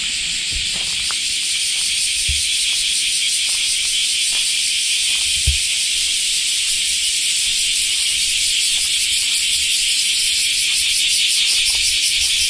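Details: Semi, the common cicada of Japan, in full summer chorus once the rainy season ends; an unbroken shrill sizzling drone with a faint pulsing texture, a few soft low knocks in the background.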